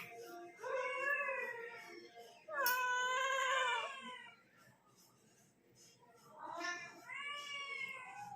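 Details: Kitten talking and yawning: three drawn-out harmonic meows, the middle one louder and rising then falling, the last a wavering cry, with quiet room background between calls.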